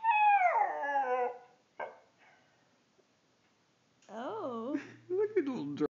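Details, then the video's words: Pet Siberian Husky singing for another dog: a falling howl, a pause, then warbling, wavy howls that rise and fall with a quavering, talking quality, alongside a person's voice. "Siberian Husky, Moe sings a song for Mishka"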